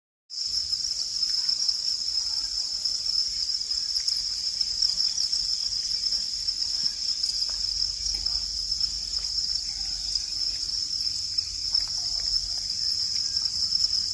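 A cricket keeps up a steady, high-pitched chirping trill without pause.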